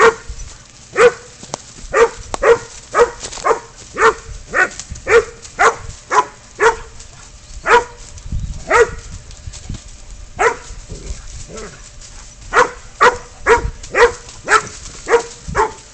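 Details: Pid dog Spud holding a goat at bay, catch and release: a long series of loud, hoarse barks roughly twice a second, briefly pausing midway before resuming, with faint rustling underneath.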